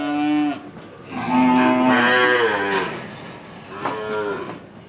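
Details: Calves being delivered in Nong Bua Lamphu province, Thailand: several drawn-out harmonic moos, a short one at the start, then a long wavering call and a later rising moo, with faint background noise.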